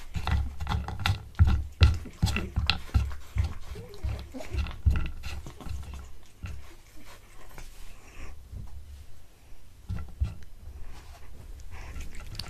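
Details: Pet cat eating a tuna mini stick indoors, recorded close up: wet smacking and crunchy chewing clicks in rapid irregular bursts, denser at first, then thinning out with short pauses.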